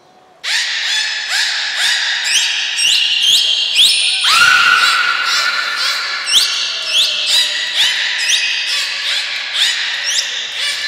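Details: Captive belugas Hodoi, Taanya and Mirai during a training session at Port of Nagoya Public Aquarium, 1 November 2020. The call is a dense, nearly unbroken run of harmonic squeals and chirps with many quick downward slides, plus a brief thin high tone near the middle.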